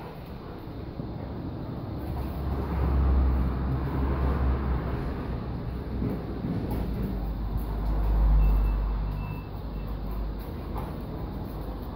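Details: Deep, rumbling vehicle noise, swelling twice like a passing truck, with faint background murmur.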